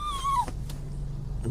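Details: Pet dog crying as its owner leaves; one thin, high whine that slides gently downward and cuts off after half a second, in a quiet indoor room with a low background hum.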